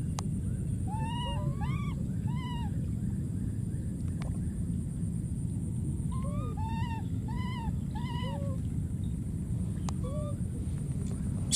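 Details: Lonely wild baby monkey repeatedly calling for his friend, giving groups of arched, slightly wavering cries separated by short pauses, with a few soft lower notes and a continuous low rumble behind.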